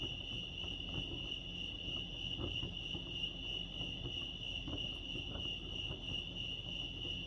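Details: Crickets at Lake Arrowhead, California, sing one sustained high-pitched trill made of rapid pulses, steady in pitch and loudness throughout, above quiet low-frequency background noise.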